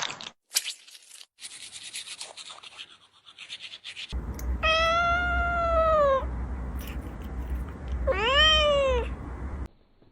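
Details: Domestic cat from a funny cat compilation giving two drawn-out, arching meows, each rising then falling in pitch and lasting over a second. A steady low hum runs underneath, with earlier scuffling noises.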